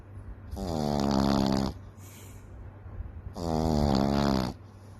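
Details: A sleeping Frenchton puppy named Daisy Fay, a Boston Terrier and French Bulldog cross, gives loud, buzzy snores. Two long rattling inhalations come about three seconds apart, with soft breathing in the pause between them.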